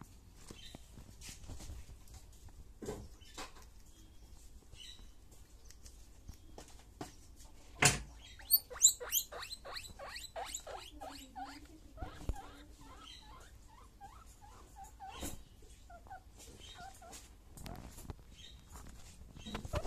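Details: Baby guinea pig at morning breakfast; rapid series of short high chirping squeaks around the middle, mixed with sharp clicks, rustling of food and bedding, and chewing noises.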